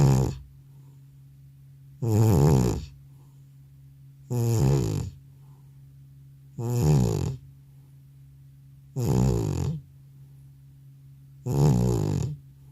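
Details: Aged domestic cat fast asleep following a veterinary visit, producing a steady run of six deep, rattling snores about every two and a half seconds, each lasting under a second, over a faint constant hum.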